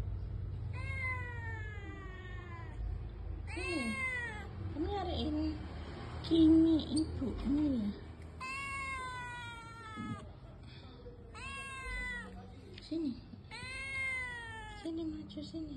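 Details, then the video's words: Village cat kitten left out in the heat, meowing as it searches for its mother: loud, drawn-out arched meows repeated about five times, each rising then falling, with a person softly calling to it and low background hum. "DILUAR PANAS KUCING KAMPUNG MENGEONG MENCARI INDUKNYA"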